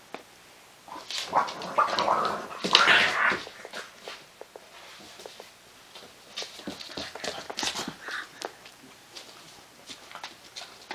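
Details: English Bulldog mother playing roughly with her puppy on a play mat indoors, producing bursts of snorting, grumbling growls and whines, loudest around two to three seconds, with scuffling sounds throughout.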